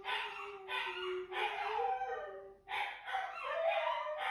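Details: Two Siberian Huskies, Juno and Echo, howling together at about 6:00 in the morning; drawn-out tonal howls with rich harmonics, slowly wavering and sliding in pitch, broken by short pauses, voices overlapping near the end.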